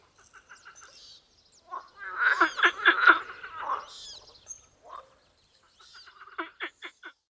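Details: Tyrrhenian tree frog (Hyla sarda): short runs of clicking, pulsed notes, then a dense overlapping burst of harsh rapid pulses in the middle, falling quiet before a final quick series of sharp repeated notes.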